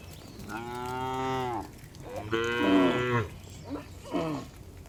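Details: Village farm cows returning to the barn during daily afternoon herding; two long harmonic moos of about a second each, followed by two shorter grunting calls, with soft background rustle.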